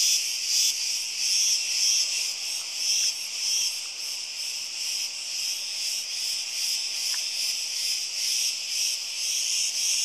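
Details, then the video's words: Cicada chorus recorded on Crete, Greece: a continuous high, sizzling buzz with uneven swells and occasional sharper whistling peaks, plus a couple of faint clicks in the background. "CICADAS IN CRETE - ΤΖΙΤΖΙΚΙΑ ΣΤΗΝ ΚΡΗΤΗ"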